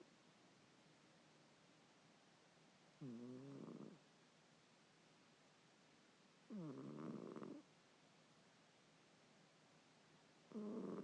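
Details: Domestic cat snoring in sleep, three throaty harmonic snores spaced about three and a half seconds apart, each near one second, separated by soft room hiss.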